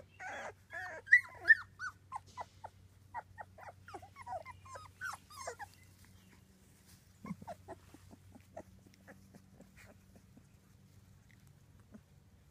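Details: British Labrador Retriever puppies at two weeks old from a six-pup litter: a dense burst of squeaky whimpers and yips at first, thinning into scattered short squeals with quiet gaps and a constant low hum beneath.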